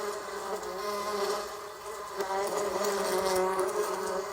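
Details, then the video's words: Bee buzzing in a steady, low droning hum with layered overtones. The loudness swells and dips slightly over a few seconds, with faint ticks in the background. "Bee Sound Effect - Learning Sounds For Kids - Realistic Bee Sounds"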